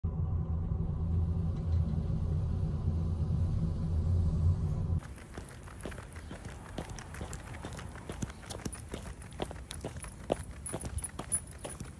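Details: A steady low rumble gives way abruptly to quieter outdoor ambience with scattered tapping footsteps and light scuffing.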